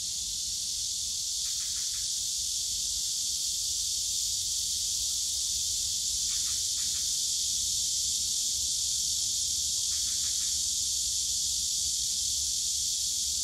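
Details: Bamboo forest of Yongsan Family Park, Korea, on a summer day, ringing with cicadas: a seamless high shrill wash, broken three times by brief clusters of short mid-pitched clicks about four seconds apart, over faint low park rumble.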